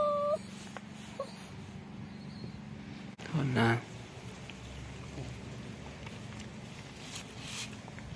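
A Cavalier King Charles Spaniel gives a brief high whine, then a louder, wavering, falling whimper.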